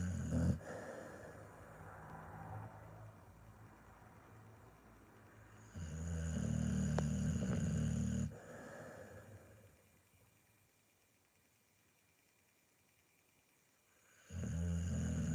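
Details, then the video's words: Pit Bull asleep and snoring. Loud, low, rattling inhalations of a few seconds each come about eight seconds apart, with quiet hissing breaths in between. "Pitbull Snoring"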